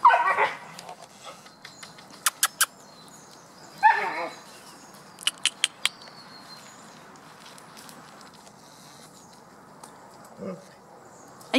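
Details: Several dogs, among them ones named Kodai and Aïkou, recorded 28 July 2014; short harsh barks or yips at the start and again near four seconds, with sharp clicks between and a person speaking French to the dogs.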